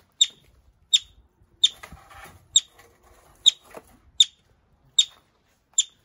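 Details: Yellow-bellied marmot in care at North Island Wildlife Recovery Centre, Pacific Northwest. A steady series of eight piercing, clipped whistles comes about every three-quarters of a second, with faint rustling and handling noise in the gaps.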